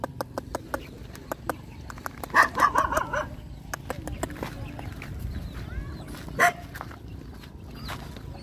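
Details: Hungry Rottweiler puppies nursing from their mother, giving a short cluster of high whimpering yips around the middle, amid steady clicking and suckling noises and a low background rumble.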